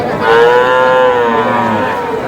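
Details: Cow with calf at the Aftabganj cattle market in Dinajpur, Bangladesh, giving one long, steady, tonal moo of about a second, rich in harmonics and tapering at the end, with faint crowd murmur behind.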